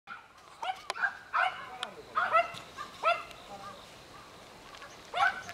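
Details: Male apricot Toy Poodle puppy, 54 days old and about 490 g, born 4 August 2014, in Nara, Japan, giving short, bright yelping whines in uneven bursts, each with a slight upward-then-downward bend, separated by brief pauses.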